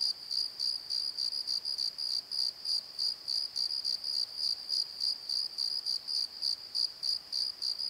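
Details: Night crickets in a valley bottom at Pozo, giving high, even chirps in quick regular pulses, roughly three each second, with a faint shimmering overtone above and otherwise quiet surroundings.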